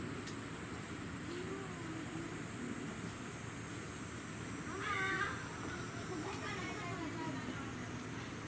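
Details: Baby Japanese macaque with its mother at Arashiyama Monkey Park in Kyoto, Japan; a brief, wavering, harmonic cry rises near the middle, followed by a fainter one, over steady background hiss and a thin, continuous high tone.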